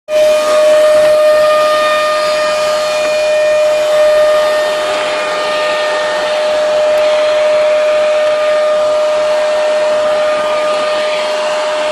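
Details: A loud vacuum cleaner whines on a steady high tone for the whole span, with no animal sound heard.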